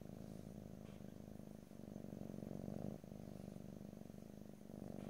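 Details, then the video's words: Pet cat purring close up in stereo, a rapid pulsing low rumble rising and falling with the breath, one short break near the middle, no voices. "ASMR Cat: Purring"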